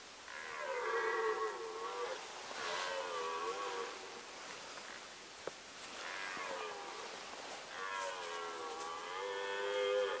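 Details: Red deer roaring during the rut in the Sandomierz Forest, Poland, 2018: four drawn-out, harmonic bellows of about two seconds each, roughly every two to three seconds, wavering in pitch, over a steady background hiss.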